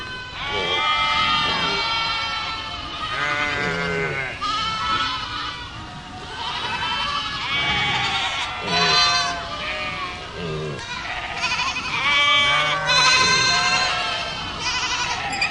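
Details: Herd of goats bleating together, many overlapping wavering bleats of varied pitch from several animals at once, rising and falling in a near-continuous chorus with short gaps.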